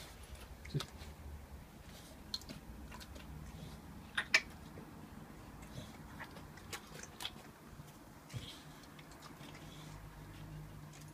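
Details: An 11-month-old raw-fed Staffordshire Bull Terrier chews a raw chicken quarter indoors, with sharp crunching clicks and wet, irregular chewing over a low background hum.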